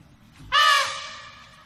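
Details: Single short, loud trumpet blast from an African elephant, harsh and strongly harmonic, starting abruptly and fading out over about a second.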